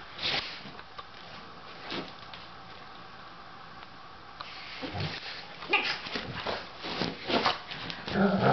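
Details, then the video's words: Two Doberman dogs, Loofah and Otto, tussle indoors as Loofah tries to take over Otto's bed; low rumbling growls and scuffling bursts grow louder toward the end after a quieter opening stretch. "Fighting Doberman! Loofah tries to take over Otto's bed!"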